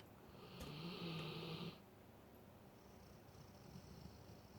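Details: Sleeping Alaskan Malamute lets out one droning, rasping snore lasting about a second, followed by quiet breathing.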